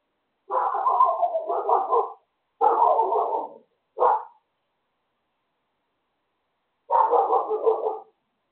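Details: Dog barking next door; four bursts of harsh, rough barking, the first two long and run together, a short single bark near four seconds, then a long pause before a final extended burst.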